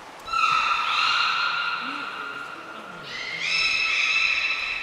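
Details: Niko, a beluga at Port of Nagoya Public Aquarium in Japan, recorded in training on 25 February 2024, gives two long, steady, richly harmonic whistles. The second begins with a quick upward slide, with soft low murmurs between them.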